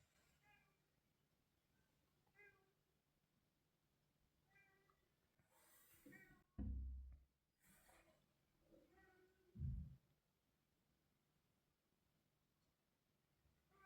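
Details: A cat named Mr. Carlo, caught outside, gives a series of short harmonic meows, about five spaced two to four seconds apart, with loud low thumps and bursts of broadband rustling in the middle.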